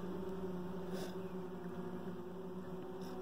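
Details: Honey bees buzzing inside a hive around a dark queen raised the previous year, workers tuned in to her; a steady low hum with bands near 200 and 400, a brief higher rustle midway.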